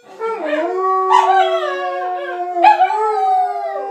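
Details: A saluki and a Chinese crested dog sing along to a Swedish ice cream truck. Drawn-out, quavering howls swell and slide in pitch over a steady sustained tone from the truck's music.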